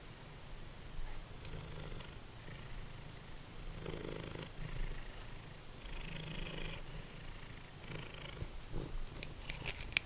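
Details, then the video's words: Formerly feral cat Simba purrs over a snack of dried minnows, a continuous deep vibrating rumble with soft pulsing swells and a few faint clicks of chewing near the end. "Cat Purring"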